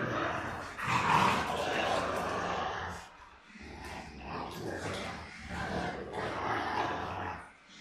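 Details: Rottweilers Miley and Fiona playing together, with rough, noisy growls and scuffling that run almost without a break, easing briefly midway before rising again.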